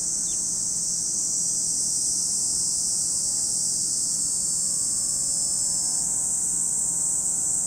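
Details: Cicadas droning at Lake Kamo in Sado City, Niigata Prefecture, Japan: a dense, steady high-pitched shrill, joined midway by faint low humming tones in the background.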